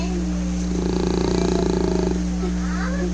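An English Bulldog gives a single raspy, fluttering snore lasting about a second and a half. A constant low mechanical hum runs underneath throughout.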